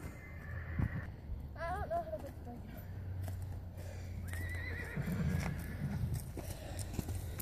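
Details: Hanoverian colt from 2014, by Don Hill out of a Royal Prince dam, being trotted in hand. A shaky, wavering whinny rises and falls near the two-second mark, followed by a shorter high call. Hoofbeats clip-clop, a handler speaks, and a low rumble persists.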